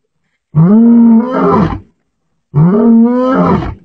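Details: A lion in the mountains of Aberdares National Park gives two long, throaty roars, each starting low and swelling into a rough, groaning rumble, about two seconds apart with silence between.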